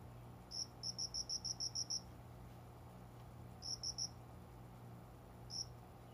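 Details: At daybreak, a cricket hidden among plants beside a room window in summer gives a run of eight quick high chirps, then a triplet and a lone chirp, over a low steady hum.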